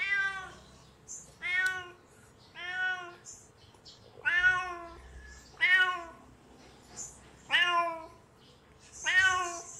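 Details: Kitten meowing from hunger, calling out: seven short, high, harmonic meows, each slightly rising then falling, repeated roughly every 1.3 seconds in a steady series, with brief soft noises between them.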